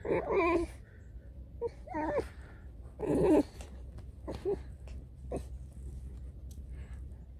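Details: Tame fox grumbling while playing with its owner indoors. It gives short, throaty, whining grumbles in uneven bursts, the loudest near the start and around the third second, with quieter grunts after and some faint handling noise.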